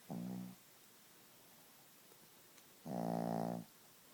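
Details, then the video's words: Sleeping Chihuahua named Gidget snores twice indoors: a short, low, rasping breath, then after a quiet pause a longer, fuller snore of nearly a second. "Gidget the Snoring Chihuahua"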